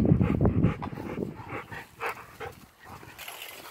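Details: A feisty Miniature Schnauzer, while playing, gives a rapid burst of short, gruff barks and growls that soon fade to softer noises.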